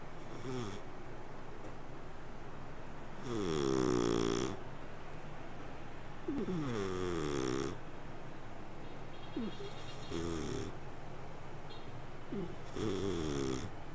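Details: Sleeping cat giving long, rasping snores that bend down in pitch, with a wavering whistle on top. They come at uneven gaps of two to three seconds against a steady low background.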